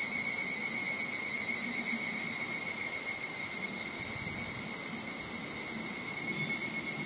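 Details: Summer higurashi cicadas in Nishigo village, Fukushima, Japan, sing as a dense, unbroken, high-pitched ringing drone of steady layered tones, with faint wind rumble underneath.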